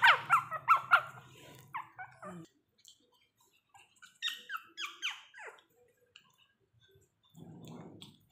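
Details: High-pitched squeaky yelps from a mini Pomeranian at play with its owner. A quick burst opens the recording, then comes a pause and a second short cluster of falling yips, followed by a low rustle.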